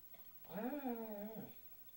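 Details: Female Basset Hound howling along in song with her owner's singing indoors; a single smooth, sustained wavering howl lasting about a second, rising slightly then level before dropping off.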